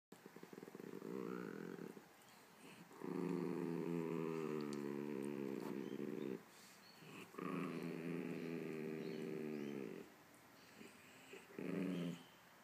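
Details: Chihuahua and Poodle growling back and forth in a long harmonic rumble, sustained growls of two to three seconds separated by short pauses, with a brief higher whine between bouts.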